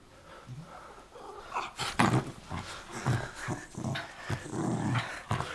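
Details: Miniature Schnauzer at tug-of-war play, giving a run of short, low, rough growls in quick succession, mixed with sharp handling knocks and a person's faint voice.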